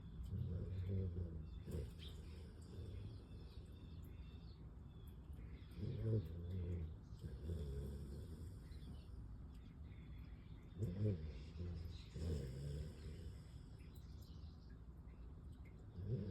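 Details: Kaja, a Siberian Husky, snoring while asleep: deep, rumbling low breaths rise in rough bursts about every five seconds, with quiet hissing gaps between them.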